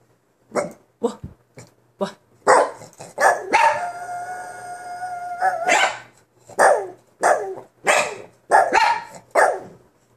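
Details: Rescued former mill dog, adopted female, vocalising in a long talkative series: short sharp barks and yelps, then a sustained wavering howl-like moan around four seconds, followed by more rhythmic barks roughly every half second.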